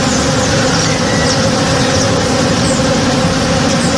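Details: Honey bees working in a blooming tree in a backyard in the morning, a dense, steady low hum with layered droning tones holding constant throughout, faint high chirps overhead.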